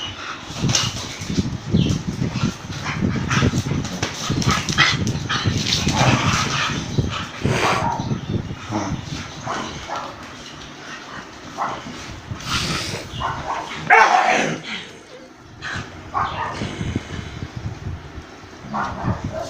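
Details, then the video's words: Dogs fighting, an Indian breed attacking a German Shepherd: a continuous dense tangle of rough growls, snarls and scuffling, with a sharp yelping burst near the fourteenth second before the snarling resumes. "Indian breed attacking German shepherd Dog"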